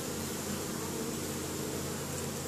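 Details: Honey bees foraging in spring at their hive in Caribou, Nova Scotia, Canada, on 10 May 2015, returning with pollen; a steady, even droning hum of many wingbeats fills the whole stretch without pause.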